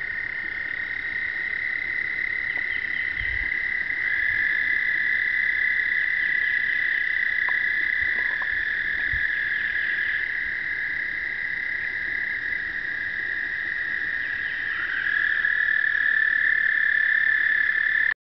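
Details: Many male American toads in an Indiana pond chorus during explosive breeding on the first warm early-spring days: long, steady musical trills overlapping into an unbroken high hum.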